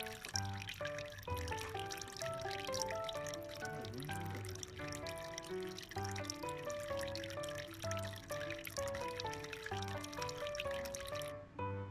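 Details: Soft background music of plucked and tinkling melodic notes plays throughout, with light trickling sounds and no animal calls.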